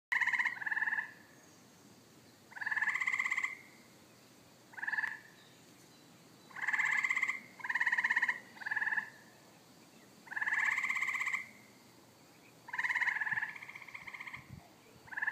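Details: Frogs calling at a pond in the evening, a noisy chorus: about eight buzzy, pulsed croaks, each half a second to a second long, come in irregular bursts over steady low background hiss.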